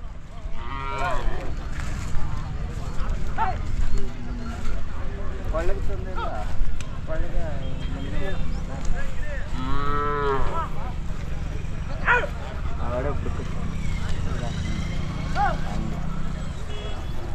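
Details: Hallikar stud bulls from Dasarapalya lowing: deep, drawn-out moos with arching harmonic bands, the clearest near the start and a long bellow around the middle, over steady low rumble and background voices.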